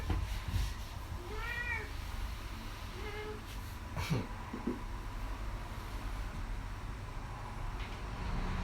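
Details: Stroked while lying in the sun, contented cat Kisuke lifts its hindquarters and mews softly: two brief arched meows in the first few seconds, followed by faint rustling and a constant low hum.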